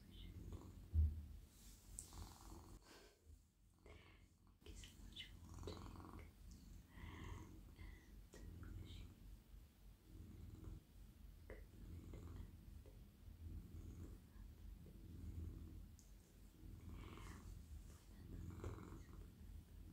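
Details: Male domestic cat, calm and cosy, purring on a lap while petted over head, neck and body at night; low rumbling purr with uneven swells, a brief dropout early on, and scattered rubbing and rustling sounds.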